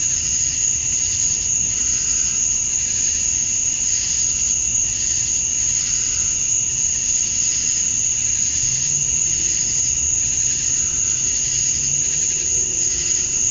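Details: At summer dusk in Georgia, USA, male cicadas call to attract females. An even, high, hissing drone with a thin whine above and regular soft pulsing, plus brief low hums drifting in the background.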